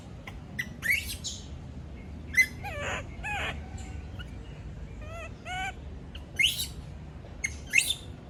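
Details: A female monkey gives shrill, wavering screams and squeals in short bursts, crying out at being left alone.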